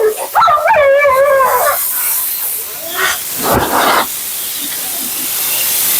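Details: Mila the Siberian Husky complains through her bath and grooming session with a quavering, warbling whine in the opening two seconds, then falls silent as a loud hissing spray of water or dryer air takes over.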